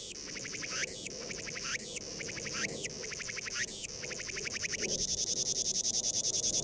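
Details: Crying cicada: harsh high buzzy phrases with fast pulsed rattling between sharp bursts, about one second apart, ending in a quicker run of short clicking pulses.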